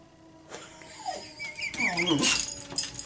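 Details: A Schnauzer gives a short, wavering howl that swoops down and back up in pitch, howling along with the monthly test of the tornado warning siren.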